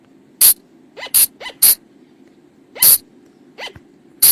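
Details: Flying lemur call from the forest, used to lure the animals at night: sharp, hissing high bursts, several with a short rising squeal underneath, about six in four seconds over a steady low hum.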